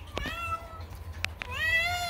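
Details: A male domestic cat that screams instead of meowing gives drawn-out, wailing cries, steady then rising, with strong harmonics, while playing with a female cat.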